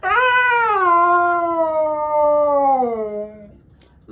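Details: Siberian Husky screaming on a Sunday morning: one long, loud, tonal wail that starts high, slides gradually downward and fades after about three and a half seconds, followed by a brief burst of human speech at the end.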